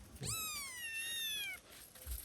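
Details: Domestic cat being attacked by dogs, giving one long, loud, drawn-out meow. It starts high, holds steady, then slides gently downward over about a second and a half, with a faint background hum.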